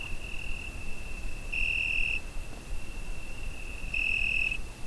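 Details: On a summer night a cricket trills steadily at high pitch, recorded with a Zoom H5; two stronger, brighter pulses lasting over half a second stand out about two and a half seconds apart above a low, faint rumble.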